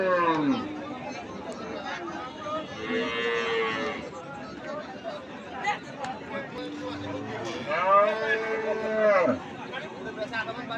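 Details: Cattle at a cattle market lowing several times, with arched, drawn-out moos at the start, around three seconds and near nine seconds, over steady background chatter of a crowd.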